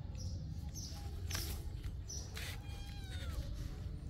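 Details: Little kittens giving thin, high mews that slide downward in short strokes, faint over a steady low rumble, with scattered high chirps from birds nearby.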